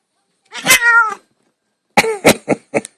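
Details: Pet cat, female, meowing while attacking her owner for petting her: a drawn-out harmonic meow followed by a quick run of four short, clipped meows, loud and close indoors.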